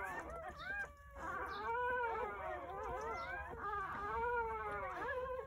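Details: Newborn Jindo dog puppies crying during birth on New Year's Day at a countryside home, from a litter of nine born between 8:30 a.m. and 1 p.m.; overlapping high, wavering whines and squeals, rising and falling continuously, several pups calling at once.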